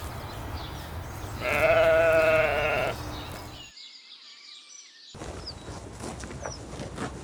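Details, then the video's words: Sheep grazing leisurely on a green spring meadow, lambs among them; one loud, wavering, nasal bleat lasting about a second and a half, followed by quieter meadow ambience with a few faint high bird chirps. "Sounds of sheep bleating"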